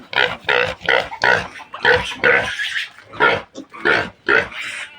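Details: During weaning, the new sow's piglets give loud, raspy grunts spaced about half a second apart, each short and noisy, with gaps of quiet between groups.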